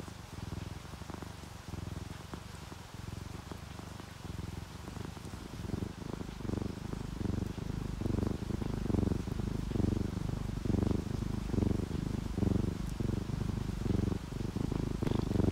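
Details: A relaxed orange tabby and calico cat purring as they sleep: a soft low vibrating purr that swells and grows louder after about six seconds into strong rhythmic breathing pulses.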